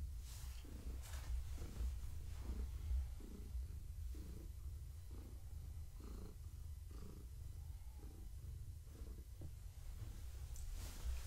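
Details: Deep, rhythmic purring from Gaia, a pregnant long-haired tabby cat who is being stroked and scratched indoors in the evening; the rumble pulses roughly every second with each breath, with faint rustling now and then.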